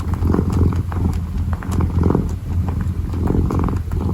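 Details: Kitten kneading and purring up close: a rough rumbling purr in quick breath cycles under a second long, punctuated by sharp little clicks and taps.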